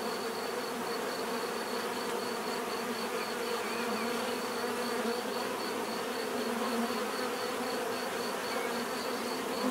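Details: Bees drone without pause in a full, layered buzz; occasional nearer insects add slightly louder wavering hums over the steady chorus.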